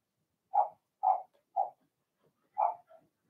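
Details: Young Blenheim Cavalier King Charles Spaniels from Remy's litter yap in the puppy pen, four quick, evenly pitched barks about half a second apart, with a soft trailing yip.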